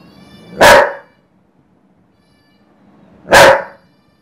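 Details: An angry Dobermann gives two deep, forceful barks, spaced about three seconds apart, at a smart speaker playing cat sounds.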